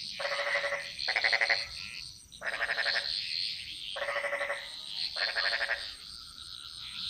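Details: Chorus of frogs in the jungles of Bali: rasping pulsed croaks in short bursts, about four a second at peak, unevenly spaced, with a constant high-pitched insect drone behind.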